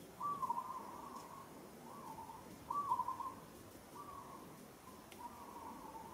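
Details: Monkey held roughly by another monkey in Kampong Cham Province, Cambodia, struggles and calls: repeated high, tonal, quavering cries, about five in six seconds. The first and third are the loudest, with a soft rustling background.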